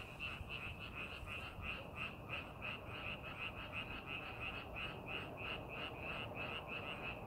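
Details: Rice-paddy frogs calling while fields are readied for planting, a loud, regular train of quick croaks about three per second from overlapping animals, with low rumbling noise underneath.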